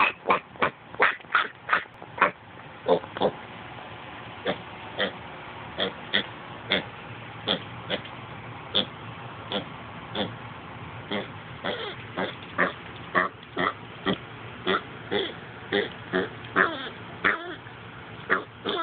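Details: Spice, a pot-bellied pig described as talking, gives a steady run of short, rough grunts, roughly two to three per second, repeating evenly throughout with little pause and no other clear sounds.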